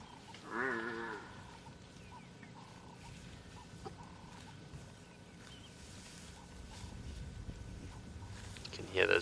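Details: A younger African buffalo gives a short, wavering, moo-like bellow of annoyance, perhaps after smelling a lion, on a morning game drive in Sabi Sand, South Africa, on 27 May 2020; quiet voices follow.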